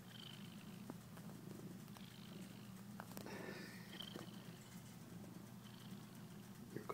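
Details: A domestic cat purring indoors: a steady, low, finely pulsed rumble that runs unbroken through the whole stretch, with faint clicks and light rustling above it.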